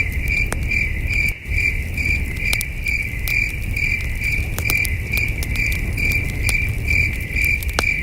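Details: Night chorus of crickets at a camping site under the stars: rapid, bright chirp pulses in a steady train, a brief dip near the start, and sharp crackling from a nearby campfire.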